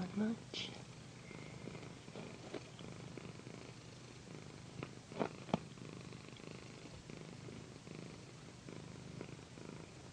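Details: Pandy, a female pet cat, purring during a satin pillow massage in an ASMR session: a steady low rumbling purr runs throughout, broken by a few soft taps and brief rustling sounds, with a faint voice near the start.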